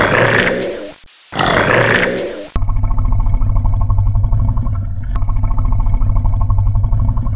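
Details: Alligator giving a harsh, breathy roar broken by a brief pause, then a sustained deep, throbbing rumble with a steady pulsing texture.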